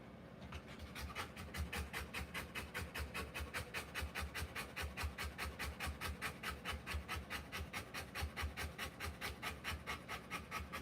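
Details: Rottweiler giving birth to puppies, panting steadily in quick, even breaths, about two or three per second, each a soft airy rasp, keeping a regular rhythm throughout with a faint low hum in the room.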